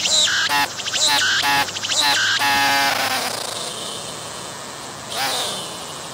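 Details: Cicada singing near the camera on a tree, moving its abdomen: loud choppy buzzy phrases in quick succession, then a long harsh drone that fades, with a brief softer buzz near the end.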